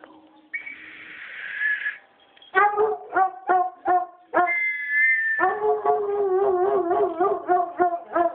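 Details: Foxhound howling in response to a whistle: a steady whistled tone comes first, then short rhythmic bays, a second high whistle, then a sustained pulsing, yodelling howl that follows it.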